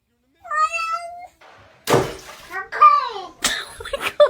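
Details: Domestic cat giving a bizarre meow: a drawn-out, slightly rising whine of about a second, followed by a woman's excited exclamations and a second short cat cry near the end.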